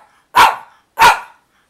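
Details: Dog demanding its filet mignon flavored chewy treats, giving two short, punchy barks about half a second apart in a quiet room.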